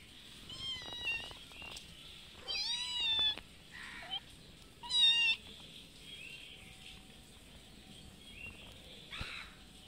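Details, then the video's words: Mother cat with a little kitten, staying at a relative's house and visiting twice a day, meowing for food outdoors; several short high meows, some rising then falling, spaced a second or two apart over faint steady background hiss. "Kitten mother meowing asking for food."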